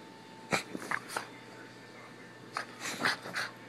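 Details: Lexi, an excited Miniature Pinscher going crazy for the camera indoors, gives short sharp yips and barks in two bursts, a few quick calls near the start and a cluster of higher yelps toward the end.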